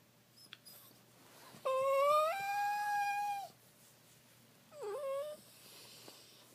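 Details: Pet cat making its signature weird noises indoors: a steady, tonal wailing cry held for almost two seconds, a pause, then a shorter cry that dips and bends upward, over faint room hiss.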